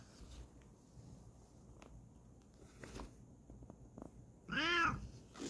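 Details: Kokoa, a Bengal cat, gives a single short harmonic meow near the end after several seconds of quiet room noise with faint taps and rustles.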